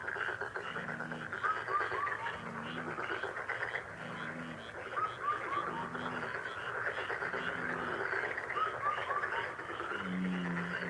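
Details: Many frogs croak together in fast, rattling pulses that run on without pause. Low, hollow cooing hoots return roughly every two seconds, and brief falling whistles from a bird cut in now and then.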